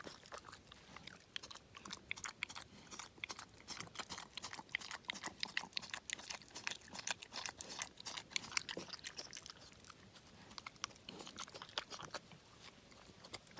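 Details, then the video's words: Young male pig, about four and a half to five months old, adopted from beside a road, eating leftover homemade chocolate donut glaze indoors; dense rapid smacking, chewing and crunching clicks continue throughout, with a steady high whine in the background. "Pig makes funny eating sounds"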